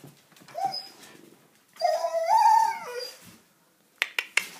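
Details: A German Shepherd aged one year seven months howls indoors because it wants to go outside to play. A short whine is followed by a long, wavering howl that rises then falls, and a few sharp clicks at the end.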